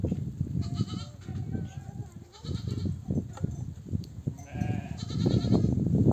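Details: Returning from pasture, nomadic ewes call their lambs to suckle: repeated tremulous bleats from several animals, one high and wavering near the end, over dense low thudding of the moving flock.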